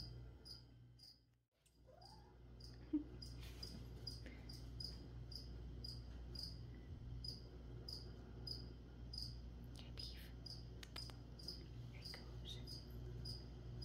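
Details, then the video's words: Cricket chirping indoors while plants are sprayed: a brief quiet dip, then regular sharp chirps at roughly 87 a minute, mixed with hissy spray bursts and soft handling sounds over a low hum. "[ASMR] Spray and Chirp (some whispering | spraying plants | cricket)"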